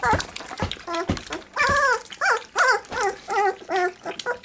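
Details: Litter of three-week-old black Labrador Retriever puppies during a first feed of goat's milk: short yelping whines repeated rapidly, mixed with slurping sounds and a woman talking about all that noise.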